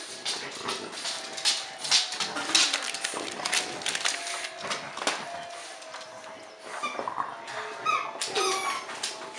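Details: French Bulldog at Christmas, with bursts of thin, high whining squeaks, clustered near the end, over rustling, clattering household noise and a faint steady tone.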